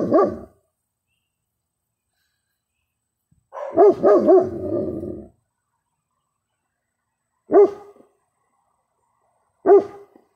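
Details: German Shepherd dog vocalizing to a neighbor's dog: a short harmonic bark, a longer run of three rising-and-falling yowling barks with a trailing moan, then two more single barks about two seconds apart, silence between bursts.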